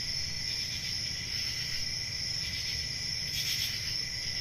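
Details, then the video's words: Crickets on a summer night in a forest produce a steady, thin, high ringing drone, with one brief brighter burst of chirping toward the end and faint low background rumble. "10 Hours Relaxing Cricket Sounds For Sleep Ambient Summer Night Soothing Forest Sounds At Night"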